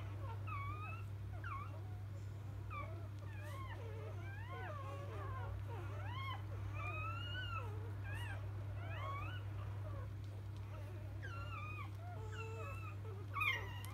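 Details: Newborn field-line Labrador Retriever puppies just after birth, born to biscuit, the 2017 JFA Grand Champion, keep up a crowded chorus of thin, high squeaks and bending whimpers, overlapping almost without pause over a steady low hum.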